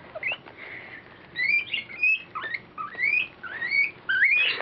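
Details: Guinea pig screaming in terror, with fur coming off it: loud high whistled squeals, many rising and sweeping upward, repeated in bursts of roughly one per second, with faint rustling between calls.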